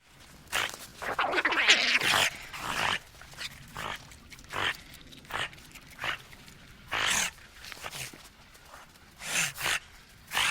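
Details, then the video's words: Otters calling in the wild: a run of short, harsh chirps and squeaky bursts, roughly four a second, broad and noisy with strong upper tones, loud clustered cries near the start and scattered pairs later. "Cute Otter Sounds"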